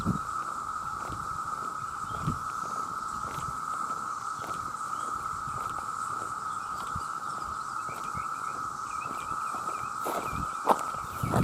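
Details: Male cicadas by the millions calling to attract mates, a very loud sound: a continuous, level whine without pauses, soft thumps beneath it and a few brief bird chirps near the end.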